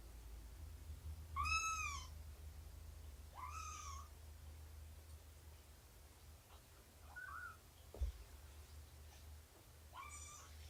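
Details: Domestic cats indoors on the morning of 24 September 2017, during nursing and play with Shelby, an estimated two-year-old rescued mother, and her kittens, about three months old. Three clear, high, arching meows with rich harmonics, spaced several seconds apart, over a low steady hum.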